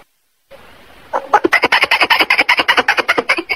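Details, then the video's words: Squirrel calling to attract a female, giving a fast, steady run of sharp broadband chucks, about six per second, rising out of a faint hiss and continuing without pause. "suab nas hooj twm quaj cuab maum tuaj zoo heev | tiếng con sóc"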